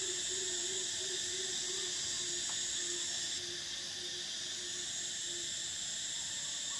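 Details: Cicadas in summer, Thailand: a steady, dense high-pitched buzzing drone with strong bands, one band briefly dropping near the middle, over a faint lower repeated pulsing hum.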